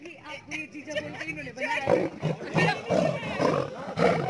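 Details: Caged lion and lioness at Paragpur Zoo, Himachal Pradesh, roaring: a run of short, deep, pulsed grunting roars about every half second in the second half, with people talking throughout.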